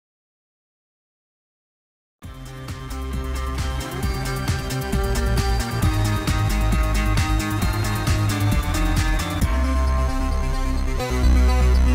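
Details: About two seconds of silence, then dense orchestral music with steady rhythmic beats and a deep bass; no animal calls.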